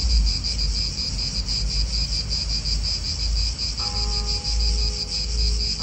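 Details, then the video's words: Cicadas calling in an Italian park, a dense shrill buzz with a fast regular throb, over a deep wind and car rumble; a short tonal, horn-like sound enters in the second half. "italian park ASMR Cicadas wind real atmosphere in an Italian park birds"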